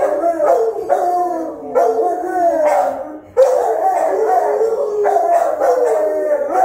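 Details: House-guarding Rottweilers recorded by a camera while watching the home. Strong, drawn-out howling barks, harmonic and wobbling in pitch, come in overlapping bursts with a brief dip near the middle before resuming at full force.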